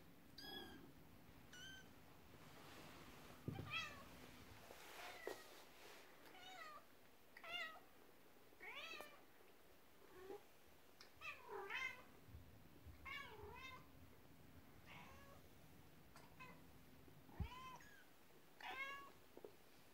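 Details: Domestic cat family indoors, a mother cat upset while her kittens play with their first toy, a horse-drawn carriage; repeated high, arching meows every second or so, some short and some drawn out, over quiet room noise.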